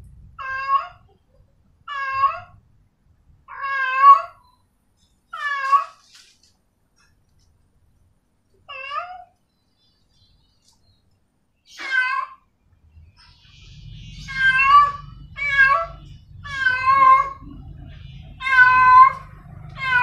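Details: Female cat in heat meowing to a male: a long series of drawn-out, wavering harmonic meows, some rising then falling, spaced irregularly with silent gaps; a low rumbling noise joins in over the final seconds.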